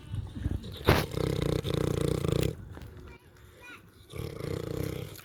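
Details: A pig eats and snores. A sharp click is followed by a long, coarse, low rasp, a quieter pause, and another rough breath.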